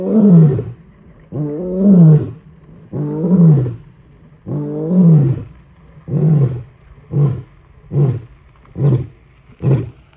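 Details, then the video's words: Male lion in Kruger National Park, South Africa, roaring to call his pride while walking purposefully on an early morning game drive: four long, deep moaning roars followed by a series of shorter, evenly spaced grunts that fade out. "Male Lion Roar"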